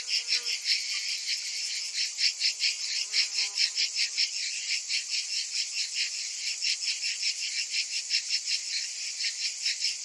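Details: Cicadas in summer, a whole chorus of them: continuous shrill buzzing, throbbing rhythmically about two and a half times per second, the pulses uneven in strength.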